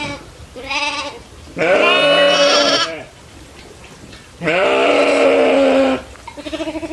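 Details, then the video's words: Goats roaming fields together with cows and buffalo; long, strained, wavering bleats of over a second each, two loud ones separated by a quiet pause, with a shorter call starting at the end. "Farm Life Fun: Cows, Buffalo, Goats & Monkeys Herding Together with Funny Sounds"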